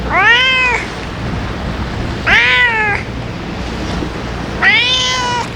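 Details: Three loud, bright meows, each arching then dropping, repeated roughly every two and a half seconds by a stray ear-tipped cat during feeding on a gusty day, over faint wind.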